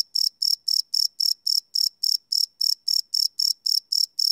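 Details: High-pitched cricket chirps at night, recorded live with a Sony PCM D100 field recorder; short buzzy bursts follow one another about four times a second in a tight, regular rhythm.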